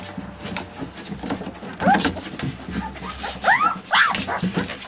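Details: Alaskan Malamute puppies giving short, high, arching whines and yelps, three or four cries clustered in the second half, over soft rustling and shuffling.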